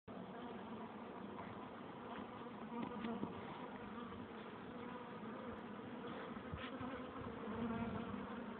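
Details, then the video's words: Honey bees at a hive entrance, many insects together giving a dense, steady low hum with layered droning tones, level throughout with brief louder passes of single bees flying close. "Bees in the hive entrance - Bienen im stock eingang"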